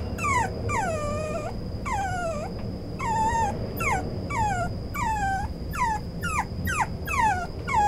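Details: Male brown Toy Poodle puppy giving repeated falling whines and yelps, each under a second, over a loud low rumbling background noise and a steady high tone.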